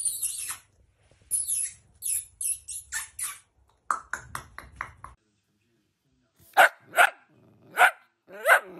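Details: Miniature dachshund with a string of quick yappy barks and squeaky bursts, then a pause and four loud, separate barks spaced under a second apart.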